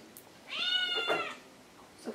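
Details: Indoor Maine Coon household with a 10-year-old cat and a young kitten; one clear, steady, high harmonic meow lasting under a second, in a quiet room.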